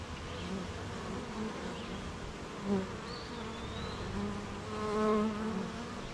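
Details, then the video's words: Honey bees at their beehive on a rainy morning, busy making honey near gardens, farms and fields; a steady low droning hum with overlapping individual buzzes swelling near the end, plus a faint high whistle in the background. "Beehive RainyMorning"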